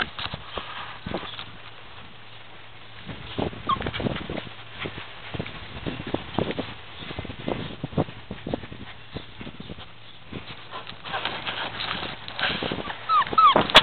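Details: Puppies playing together, giving scattered short whimpers and high yips amid constant scuffling and clattering, with a brief burst of thin squeaky cries near the end.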